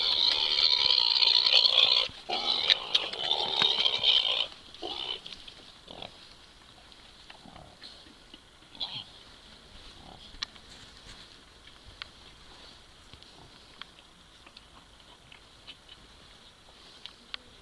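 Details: Pot-bellied mini pig walking on two legs while trying to copulate; harsh, loud squealing for the first four seconds, then mostly quiet with faint scattered clicks and ticks.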